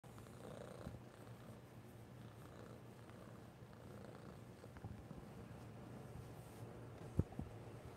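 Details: Orange kitten purring while wanting affection indoors: a soft, steady low rumble that runs unbroken through the whole stretch, with one brief sharp click near the end.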